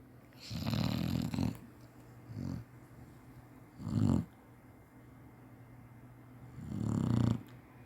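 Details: Chinese Shar-Pei napping indoors, snoring as usual: low rumbling snores in uneven bursts, four of them across roughly eight seconds, the loudest and longest near the end, with a steady low hum underneath.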